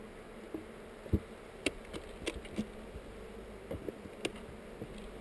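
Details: Honey bee colony hum filmed on a GoPro while a hive among heather is inspected; continuous mellow drone with frequent brief knocks and clicks of equipment, one loud thump at the end.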